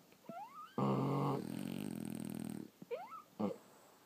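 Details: French Bulldogs sleeping. A brief rising whistle, then one long, loud, rattling snore lasting nearly two seconds that fades to a fluttering buzz, followed by short whistled squeaks.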